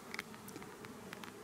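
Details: Honey bees droning at an apiary during the replacement of drone-laying colonies; the low steady hum is dotted with scattered light taps and clicks from handling.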